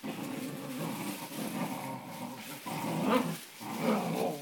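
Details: Two Cocker Spaniel puppy brothers fight, growling low and rumbly, with sharper yelping bursts as they tussle.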